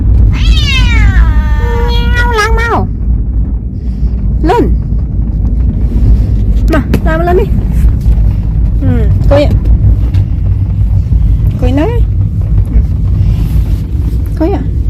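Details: Talkative pet cat travelling for the first time, opening with a long, drawn-out descending meow, then a string of shorter chirpy meows every couple of seconds over constant low engine-like rumble and some human voices.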